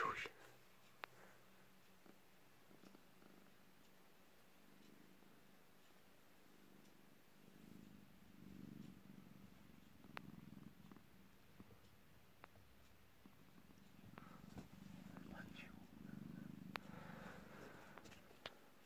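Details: A sleeping cat purring softly: a low, steady rumble that swells and fades with each breath, growing stronger in the second half, with a few faint clicks and rustles in a quiet indoor space.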